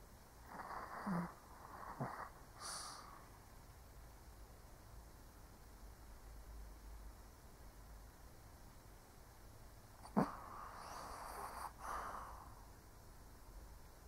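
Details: Old Shih Tzu snoring in sleep, with clustered breathy inhales and little snuffling snorts in the first three seconds, a long quiet pause, then a sharp snort followed by a drawn-out rasping breath near eleven seconds.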